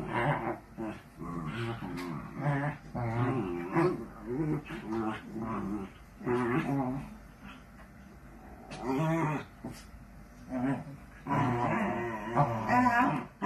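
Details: Playful miniature dachshund, a pet sausage dog, producing a long run of rapid, rumbling growls and whimpering yips in quick, choppy bursts, barely pausing across the stretch.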